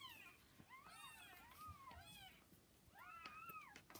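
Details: Kittens roughly 40 hours after birth, with mother cat Hana: thin rising-and-falling mews, some drawn out, a few overlapping, in a quiet small room with light rustling.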